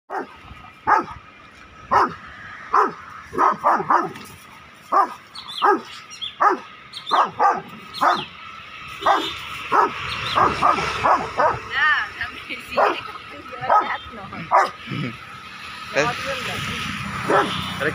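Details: A Rottweiler, described as aggressive, barks in sharp, repeated bursts, roughly one or two each second.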